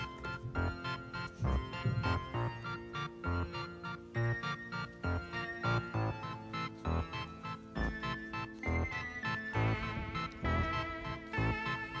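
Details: Keyboard music with bright organ-like chords plays throughout, and no animal sound is heard.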